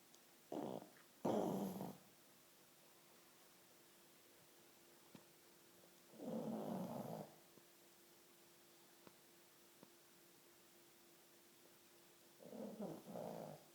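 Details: Sleeping pug giving three rough, raspy snores spaced several seconds apart, the first a doubled snort, each a broad low rumble, with a steady faint hum and near silence between breaths.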